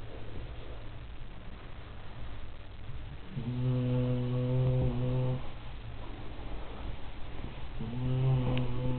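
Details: Labrador named Elvis, a weekend foster dog, snoring all night long; two loud, drawn-out rumbling snores about four seconds apart, each a steady low buzz, with quieter breathing between them indoors.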